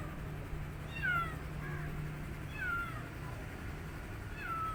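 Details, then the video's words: Young rescued kitten calling as it eats, separated from its mother; three thin, falling mews spaced about one and a half seconds apart, each starting high and dropping, with a constant low rumble underneath. "New Rescue Kitten Making Sweetest Sounds While Eating But He Is Missing His Mother Cat"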